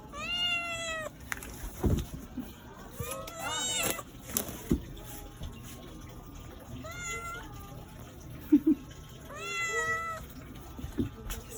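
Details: Domestic cat meowing repeatedly, four or five short rising-falling meows spaced a few seconds apart, mixed with soft human speech, small clicks and background rustle.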